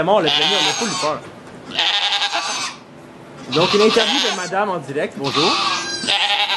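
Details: Bleating goat at a birth of two kids in a Quebec sugar shack, filmed with an iPod Touch 4G; four strained, harmonic-rich bleats roughly every one and a half seconds, with French voices talking between and beneath them.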